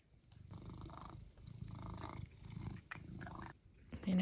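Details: Pet cat purring while waiting for chicken treats, in a home with ginger male Pizza and grey female Luna. Deep rumbling purr swells and fades in about four breath cycles, then a louder noisy burst at the end.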